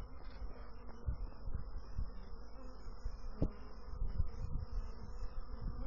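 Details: Low, steady bee hum with a thin, faint whine above it, broken by a sharp click about halfway through.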